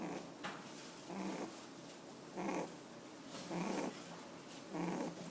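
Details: Sleeping café rabbit, eyes left open, gives a run of gentle snores: four or five evenly spaced, nasal, buzzy rasps about every 1.2 seconds, each lasting under half a second, in a hushed indoor setting.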